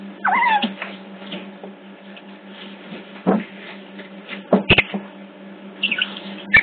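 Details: Otter pups at a zoo in Hertfordshire, picked up by a hidden CCTV camera: a wavering high squeal at the start, then scattered short squeaks and sharp clicks over a steady low electrical hum.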